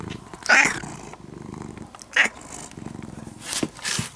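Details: Low rhythmic purring from a brown-and-white ex-stray cat that has become nearly a house cat, steady breathing pulses underneath two brief sharp clicking sounds and some rustling toward the end.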